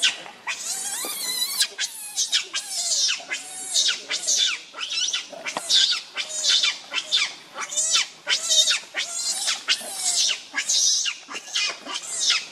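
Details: Rainbow the monkey, furious and shielding Lucie from Kachoy, shrieks almost nonstop. Harsh, very high screams repeat more than once a second in an uneven rhythm, loud and bright throughout.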